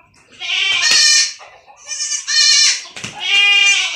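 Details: Young goat kids bleating while being injected with iron: three loud, wavering, nasal bleats, each about half a second to a second long, separated by short pauses.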